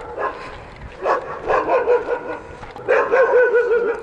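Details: Several dogs in Egypt bark outdoors at people who are lost. They give rough, irregular barks, some sliding into wavering, whining yelps, in uneven bursts over a low hum with faint human voices.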